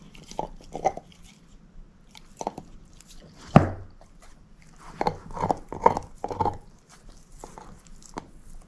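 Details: Moose, a female shepherd mix dog, eating a bone: irregular crunching and gnawing bursts in clusters, one sharp loud crack near the middle, then a run of wet crunches with quiet pauses between.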